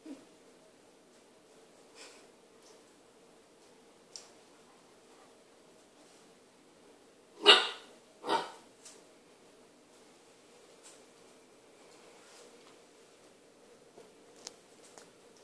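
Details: Kitchen introductions between Maya, an Irish Setter, and Toffee, a new puppy: mostly quiet room with faint shuffling, broken by two sharp barks less than a second apart midway through.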